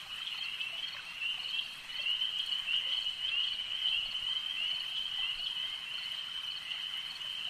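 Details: Lakeside frog chorus: many callers blend into a continuous high-pitched buzzing trill that swells slightly near the middle, with faint pulses running through it.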